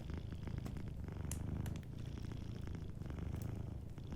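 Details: Sleeping cat purring softly beside a fireplace, a steady low rumbling purr throughout, with sharp crackles and pops from the fire scattered across it.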